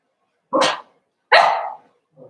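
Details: Two sharp, high yelps about a second apart from a seven-week-old Cavalier King Charles Spaniel puppy in Daisy's litter, the second one longer and trailing off, followed by the start of a softer whine.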